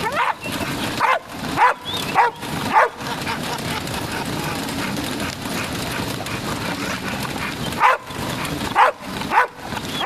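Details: Dog barking in two bursts, five sharp, harmonic barks within the first three seconds, then a pause and three more near the end, over a constant broadband background hiss.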